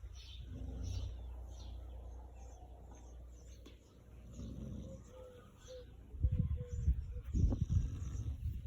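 A Chow Chow snores with low, rumbling breaths that grow into rougher snorts toward the end.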